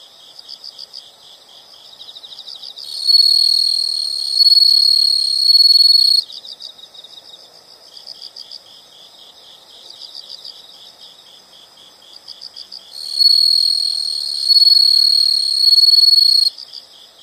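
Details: Insects in a nature sound recording, soft high pulsed chirping running throughout, interrupted twice by loud, sustained ringing trills lasting about three seconds each.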